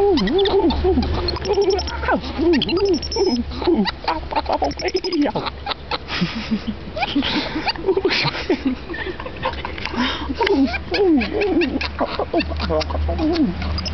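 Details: Monkey "talking": a long series of loud, squeaky, arching calls that rise and fall, given in quick overlapping runs, over a steady low hum with some voices.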